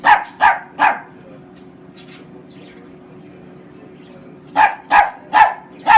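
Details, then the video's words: Homer, a Chiweenie dog, barking in quick clusters: three sharp, bright barks in the first second, then a quiet pause, then four more evenly spaced barks near the end; a low steady hum underneath. "Homer the crazy chiweenie: sneezing, barking, attacking"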